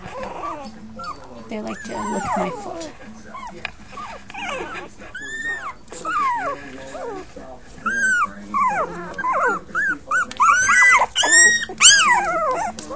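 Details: Five young puppies crying together, a chorus of high, arching whines and squeals that grows louder and denser toward the end, with human voices murmuring underneath.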